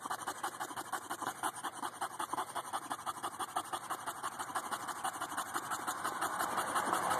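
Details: English bulldog on a hot day, panting steadily with rapid rhythmic breaths about three per second, growing slightly louder toward the end, with a constant faint background hum.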